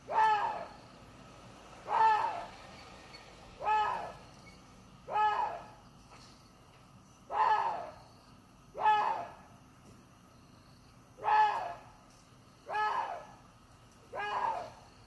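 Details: Ten hoarse, harmonic barking cries from a water deer, each short and arched, repeated steadily about every one and a half seconds in a calm, quiet setting.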